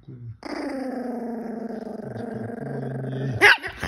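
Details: Russian Toy Terrier giving a sustained, level, harmonic-rich growl of about three seconds that ends in a sudden sharp yap-like burst.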